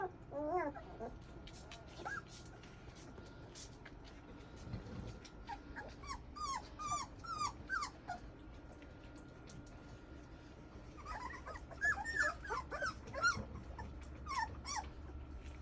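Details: English Mastiff puppies whimpering in scattered bursts: thin, high, arching whines that rise and fall, often several overlapping, with quiet gaps between clusters over a steady low background hum.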